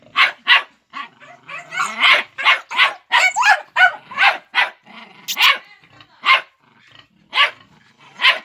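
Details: Young Jagdterrier, five months old, baying at a wild boar: sharp, loud barks repeated quickly and irregularly, some in tight clusters, a man calling out commands nearby.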